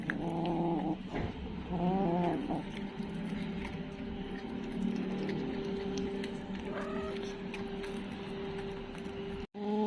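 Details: Kitten making quick wavering cries early on, followed by a long faint steady tone and a sharp break at the very end.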